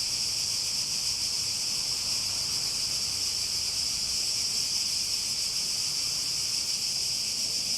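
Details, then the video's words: A continuous shrill drone of cicadas, sustained and even without pauses or changes in pitch, alone against a quiet background. "Relaxing Sounds With Cicadas"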